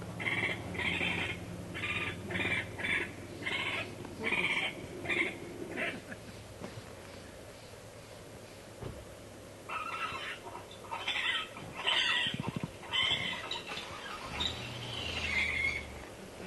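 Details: Raccoons in a Northern California forest, from the Redwoods 2010 expedition: bursts of rapid, harsh chattering squeals repeated in quick runs, a pause of several seconds, then another run of shrill chatter, over faint low rumble.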